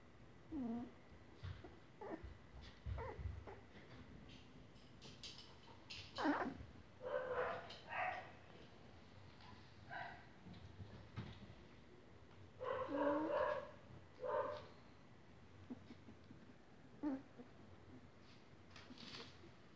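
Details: English Cocker Spaniel puppies, 25 days old, give high, squeaky whines that slide downward in scattered bursts.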